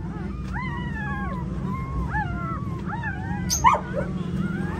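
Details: Female pointer dog giving birth to nine puppies at home: a run of high, whining whimpers, each rising then bending down, repeated about every half second over a steady low rumble, with one louder yelp near the end.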